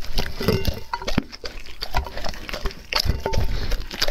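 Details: Dog eating raw food in a close-up ASMR recording: wet, squelching chewing and smacking, with irregular crunchy bursts and sloshing bites, strongest in the low range, continuing steadily throughout.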